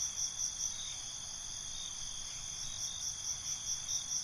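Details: Crickets chirping at night, quick pulsed chirps opening and closing the stretch, with a constant high buzzing chorus between them and a soft low rumble beneath.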